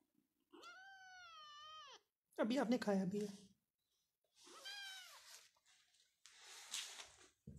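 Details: Persian cat in a Pakistani cattery among playing cats and kittens. A long, wavering meow opens, a person talks briefly, then a shorter arching meow follows, ending in rustling indoor noise.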